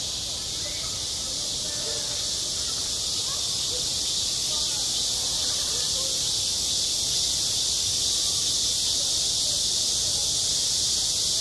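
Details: High-summer cicada chorus over a school playground, a steady shrill buzzing wall of sound that never pauses, with soft murmurs of far-off voices barely audible underneath.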